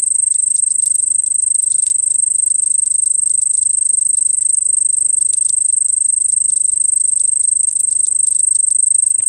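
A cricket trills steadily in a high, shrill, continuous buzz of rapid pulses.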